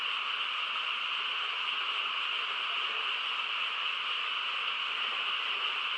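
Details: Massed frog chorus in the countryside on a quiet night: a continuous, even wall of overlapping trills without gaps or swells, holding one steady level throughout, and no other distinct sounds.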